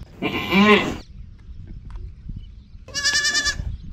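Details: A goat gives two wavering, nasal bleats, the first lower and quavering for about a second, the second higher and buzzier after a short pause.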